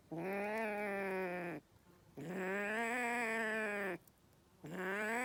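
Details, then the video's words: Three sustained, tense meowing wails from an angry kitten. They are steady-pitched and strongly harmonic, the middle one the longest at nearly two seconds, set apart by short quiet gaps. "Angry kitten"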